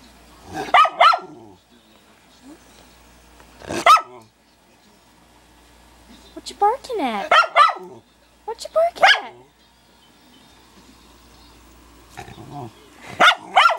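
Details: A Schnauzer dog barking at himself in a mirror indoors: short sharp harmonic barks in bursts, about five clusters over fourteen seconds with pauses between, single and double yaps, faint room noise.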